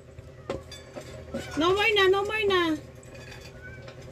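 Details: Rescued pet cat Oro meowing at mealtime and asking for more food: one drawn-out harmonic meow of about a second, rising then slowly falling, with a woman speaking Filipino before and after and soft clicks in the background.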